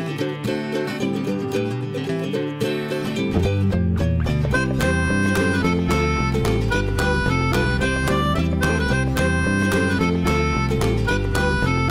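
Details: Upbeat plucked guitar and banjo music with a steady beat throughout, with no animal voice audible.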